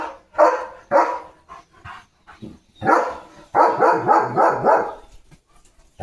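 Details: Barking from Leo the German Shepherd at play with a balloon: two single barks, a pause with softer yips, then a rapid run of five close barks before it fades.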